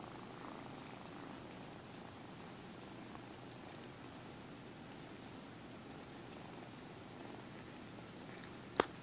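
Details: Purring from three rescued kittens, roughly six to seven weeks old, in Alturas, California: a quiet, continuous low vibrating drone with even rapid pulses, unbroken for about nine seconds, ending in one sharp click.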